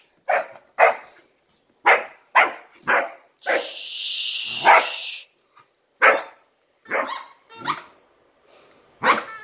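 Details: Giant Schnauzer puppy, nearly four months old, barking while playing keep-away: a run of sharp, short barks in quick bursts, broken midway by a longer, harsh, noisy stretch, then more spaced single barks.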